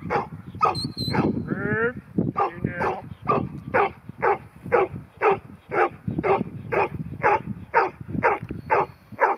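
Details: Ten-month-old female New Zealand Huntaway named Ruby, offered as Lot 121 at Skipton, barking steadily about twice a second, deep repeated barks with a few whines and other voices near the start.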